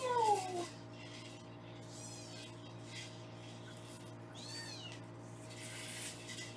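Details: Foster kittens on a live kitten cam in Los Angeles, being weighed indoors: one falling mew at the start, then a few faint, high arched mews later, over a steady low electrical hum.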